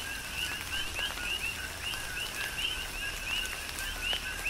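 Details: A chorus of coqui frogs on Hawaii's Big Island, chirping through a tropical rain shower; brief upward-sweeping whistles repeat densely from several callers over constant rainfall hiss and scattered raindrop ticks.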